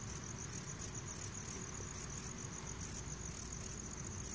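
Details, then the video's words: Requena verticalis calling: very high, hissing buzzy bursts repeated unevenly about three to four times a second, each a short sizzling pulse, over a steady low rumble of background noise. "Requena verticalis (?) Calling 3"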